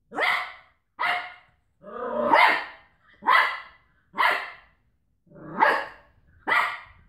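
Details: Cocker Spaniel tussling with a carton of washing tablets, barking steadily about once a second, seven harsh, hoarse barks, a few stretched into a gruff, growling edge.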